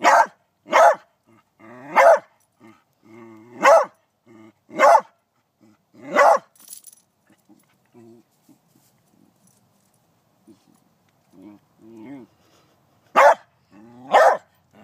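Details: Beagle barking while working up the courage to catch a praying mantis: sharp broadband barks in bursts about one second apart, interspersed with low whines and moaning, a pause mid-way, then two more barks.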